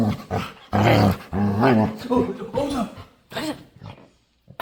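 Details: Dog begging to play, making weird noises: loud growly moans that bend up and down in pitch, several bursts, then fading into quiet whines.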